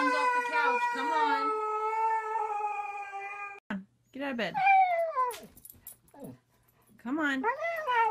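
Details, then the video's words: Siberian Husky 'talking' indoors: an extended, even howl lasting over three seconds, then a run of choppy, swooping, speech-like yowls with short pauses between them. "Funny Husky Videos Talking"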